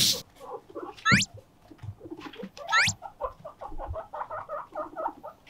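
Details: Pet guinea pigs Moruhei and Mokohei, one repeatedly standing upright on its hind legs when given shiso leaves; two loud rising whistles sweep sharply upward, followed by a run of short chirping chuckles.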